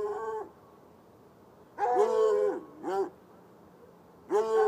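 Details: Night barking from two chained hounds, one white and one dark, beside an irrigation ditch near a red outbuilding, about 10 yards away; a few separate baying barks with a long quiet stretch between them.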